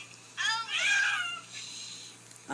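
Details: Domestic cat named Sylvie calling after being given a bath indoors: a loud, drawn-out wavering meow lasting about a second, rising then falling, followed by a short burst of a woman's voice at the end.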